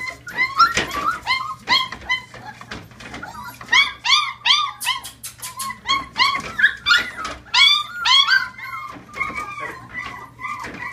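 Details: Chihuahua puppies, a 2015 litter getting bigger, indoors, produce bursts of thin arched whines and squeaks, sometimes stacked in quick runs of three or four, separated by brief gaps with soft rustling and sharp clicking noises.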